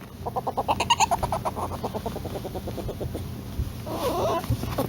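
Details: A polecat in its natural habitat gives rapid clucking chatter, about three pulses a second, fading after two seconds. A steady high hiss and low background rumble run throughout.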